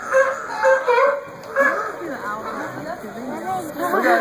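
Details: Sea lions give hoarse, honking barks in quick bursts while playing king of the hill on a rock, one possibly performing a trick for food, as people chat nearby.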